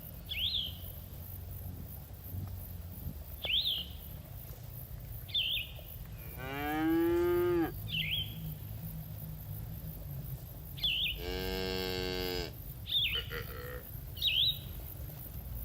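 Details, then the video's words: Herd of cattle enjoying grass in a green field: two long, deep moos several seconds apart, while a small bird repeats a short high chirp every couple of seconds against steady low outdoor rumble. "Suara Sapi Moo"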